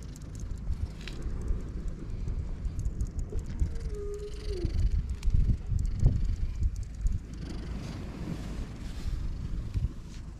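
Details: Island stray cat, described as teary-eyed, purring while stroked and rolling over for belly rubs: a continuous low pulsing rumble that swells and fades, with a brief thin tonal cry near the start and light handling noise.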